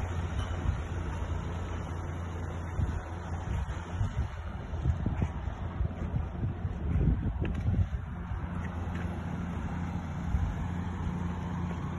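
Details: Steady low wind buffeting on the microphone with a droning hum runs throughout, and no animal call can be picked out.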